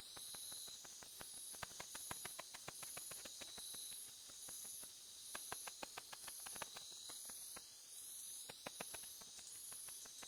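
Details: Ultrasonic song of the katydid Tettigoniopsis ashizuriensis, pitched like the Japanese house bat's calls. It is rendered as quick, sharp clicks in bursts of varying density above a continuous high, whooshing hiss.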